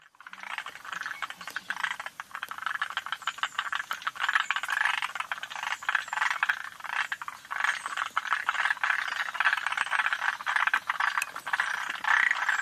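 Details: Forest green tree frogs calling in Yoshitani, Japan, in June: a dense, continuous chorus of rattling, chattering croaks centred in the mid range, overlapping callers with short clicking bursts throughout.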